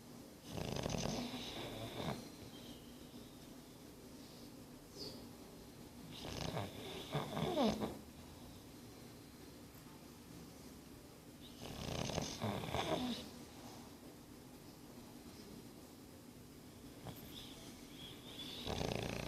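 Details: Nine-month-old English Bulldog snoring while asleep indoors: rough, rasping breaths come in bursts about every five seconds, each lasting one to two seconds, separated by quieter stretches.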